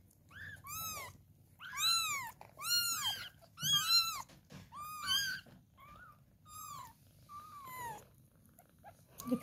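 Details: Kittens being fed milk indoors; a series of high arched mewing cries, about seven loud ones in quick succession then softer ones, with a person talking.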